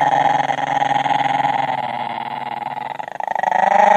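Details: Italian Greyhound growling indoors while guarding its bone and refusing to give it up; a steady, rumbling growl with a fast pulsing texture, dipping briefly near the end, as a person tells it to drop it.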